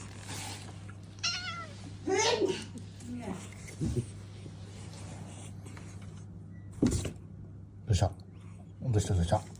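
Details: Talkative domestic cat Mii-san, excited as its owner comes home and greets it indoors, gives several short rising-falling meows between the owner's speech, with a steady low hum in the small room.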